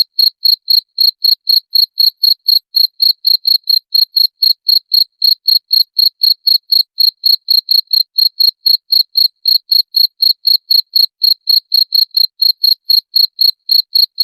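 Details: Cricket chirping, played to repel rats: a steady series of short, sharp, high chirps, about four each second, even and unbroken throughout, with no other sounds in the background.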